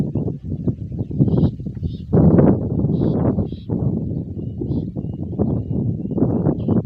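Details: Hooves of Raja Tanpa Nama during light pre-race training for the 2023 Pacuan Kuda Tradisional Gayo: a steady run of heavy, low drumming beats with a louder surge near two seconds and faint higher sounds overhead.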